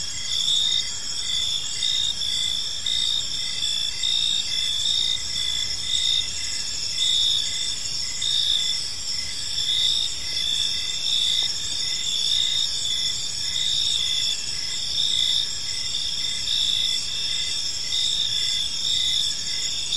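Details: Crickets singing through an evening in a tranquil park, a constant high shimmering chorus with evenly spaced chirps repeating steadily for the whole stretch.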